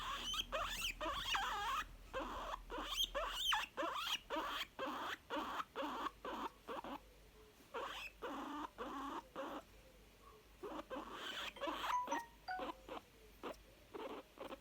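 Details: Contented young guinea pig, a female, giving sharp clipped chuts, some carrying thin high squeaks, in bursts of roughly two per second, with brief pauses and tiny tonal peeps near the end.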